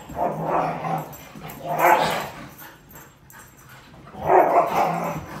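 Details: Two pet Siberian Huskies, Dante and Antaeus, fighting over a new Purple bed; broad rough growling bursts near two seconds and again around four and a half seconds, with quieter noise between.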